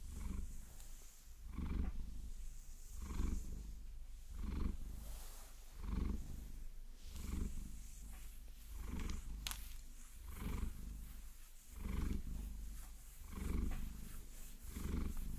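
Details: Pet Maine Coon Vasilisa purrs through a close-up massage with long nails, the low throbbing purr pulsing in regular breath cycles about every one and a half seconds, accompanied by light scratching and occasional sharp tap clicks.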